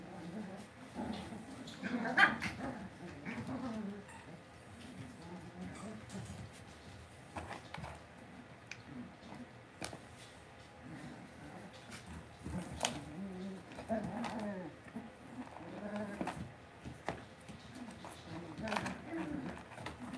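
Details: Cavalier King Charles Spaniel puppies kept indoors in a home puppy pen, giving a long run of low, wavering whines and grumbles with occasional clicks and knocks in the background.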